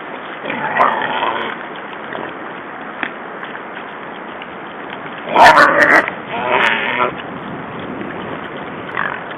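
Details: Six wild boars at Siga on 14 February 2012 making squeaky noises: two short, louder squealing bursts close together, set against a steady rustling, snuffling background with faint squeaks at the start and end.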